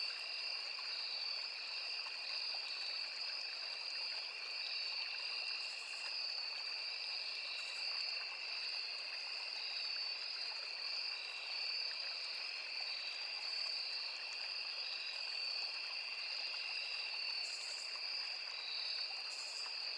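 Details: Continuous cricket chorus in a forest by a small river: level, piercing trills at two pitches run without pause. A few brief higher buzzy bursts stand out, and running water flows steadily below.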